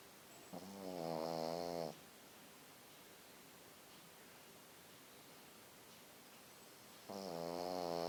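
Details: A small white Pekingese dog snores loudly while asleep, each rasping, rattling breath lasting over a second with long quiet pauses between.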